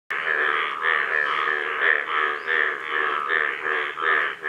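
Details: Golden frog calling, a rapid series of harsh, buzzy pulsed notes repeated about 80 times a minute, steady and loud throughout, in a small enclosed space.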